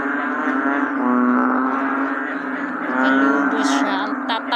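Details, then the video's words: American bullfrog during rainy days: a deep, resonant, moaning drone with rich buzzy overtones, swelling twice in loudness around the one- and three-second marks, with faint higher clicks near the end. "The Bullfrog 🐸during rainy days.🌧️"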